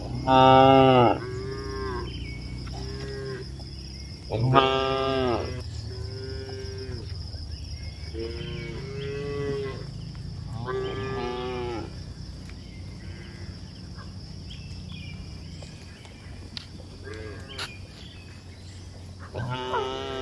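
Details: Cows walking along a hill give a string of harmonic moos, several loud and drawn-out, others shorter and softer, spaced irregularly through the first seventeen seconds, with a steady high hiss and low rumble behind.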